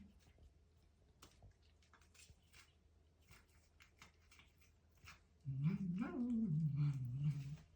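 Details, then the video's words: Cat eating a grasshopper and making funny noises: soft crunchy clicking of chewing, then a sudden low droning growl-like vocalization lasting about two seconds, briefly rising in pitch before settling back down. "Cat eats grasshopper and makes funny noises"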